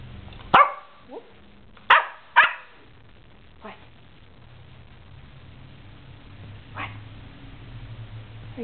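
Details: Puppy playing coy with the camera indoors gives a few short, sharp yips: two close together near the start, another soon after, then fainter ones later, over low steady hum with a person talking to it.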